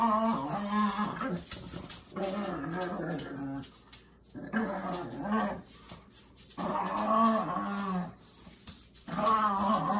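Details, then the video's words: Two pugs, Ernie and Milo, playing tug of war over Ernie's favorite shoe; long rumbling growls with a wavering pitch, broken by brief quiet gaps, plus some household noise. "Pug Tug of War"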